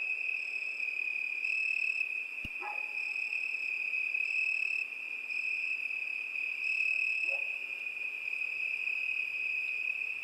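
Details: Unbroken shrill cricket trill with overtones pulsing on and off. One sharp click is heard early, followed by two faint lower chirps from another creature.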